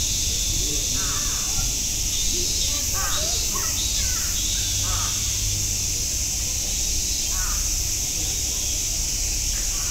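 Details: Cicadas at Nogeyama Zoo, a steady, dense buzzing hiss that runs unbroken through the whole clip, with several harsh crow caws breaking in over it.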